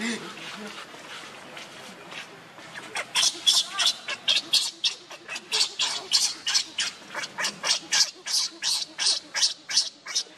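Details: Hungry baby monkey crying and begging its mother for milk: a long run of shrill, rasping, high cries repeated about three times a second, louder after the first few seconds, with faint voices early on.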